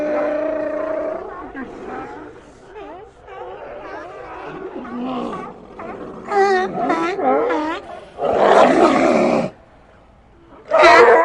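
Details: A colony of sea lions giving a long wavering bellow, then strings of quick, bleating barks from several animals, with harsh, rasping roars bursting out near the end.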